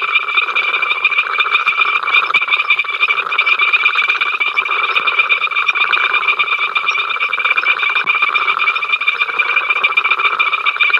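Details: Frog chorus at Ol Donyo on 5 October 2023, from the africamLIVE camera: countless overlapping rapid rattling croaks merge into a constant buzzing wall of sound that never pauses across the whole stretch.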